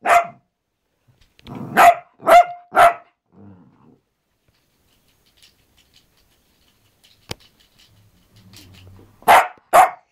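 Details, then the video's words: Benson the Cavalier King Charles Spaniel, a household pet, lets out a quick run of four yapping barks, falls quiet apart from a faint click and low grumble, then ends with two more sharp barks. "King Charles Cavalier Barking"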